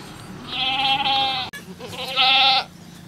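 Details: Goat at a cow farm during a birth, giving two loud bleats about a second long each, harmonic and slightly wavering, separated by a short pause, over a steady low hum.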